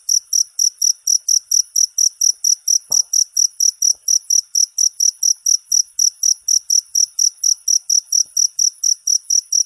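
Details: Songbird tutoring sound of a cricket: a long run of shrill, evenly spaced chirps at a brisk pace, with faint soft knocks in the background.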